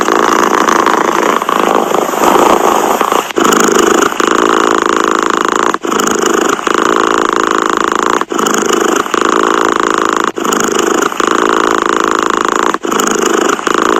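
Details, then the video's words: Continuous cat purr, a coarse buzzing drone that pulses with the breathing and pauses briefly about every two to two and a half seconds, with no other sounds around it. "Tiếng mèo kêu gừ gừ dễ ngủ, thư giãn - The sound of a cat snoring helps you sleep"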